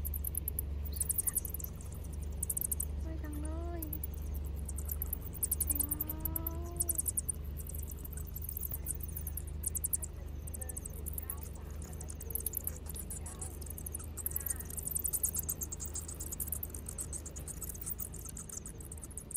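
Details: High-pitched rapid clicking squeaks from bats leaving their cave to forage, a continuous shimmering chatter, with a few clear rising whistled notes from another animal around three and six seconds and a constant low hum beneath.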